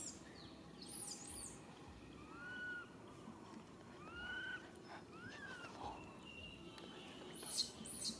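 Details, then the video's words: Young monkey crying for its mother's help, which she cannot give: a handful of plaintive whistled notes that arch up and drop, spaced a second or so apart, over rustling background noise and occasional high insect chirps. "Po-or baby monkey RAIN calling mom RANY to helps but can't."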